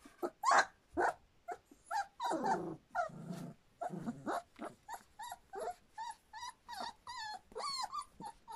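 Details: Standard Poodle puppies a little over three weeks old, a litter from River: a run of short high whimpers and squeaks, many falling or bending in pitch, coming every half second or so among soft clicks and rustling.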